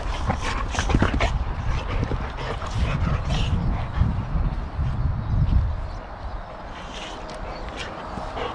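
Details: Adult boxer wrestling roughly with a boxer puppy; deep rumbling growls and huffing breaths come in a dense run for about six seconds, then quieter scuffles and sharp yips near the end.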